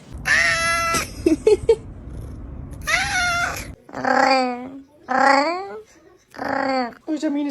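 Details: Domestic cat, called the meanest kitty by its owner, letting out long strained screaming cries with strong harmonics, mixed with a person talking indoors.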